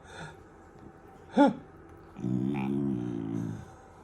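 A German Shepherd puppy makes odd little noises: a faint squeak, a sudden sharp yelp, then a long, wavering groan-like whine. The room is otherwise quiet.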